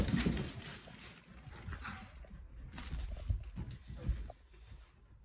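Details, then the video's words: Sully the Boston Terrier, a pet dog super excited about a toy, makes low snorting grunts and huffs in uneven bursts, louder at the start and again near three and four seconds, indoors. "Funny Boston Terrier Gets Super Excited About Toy!"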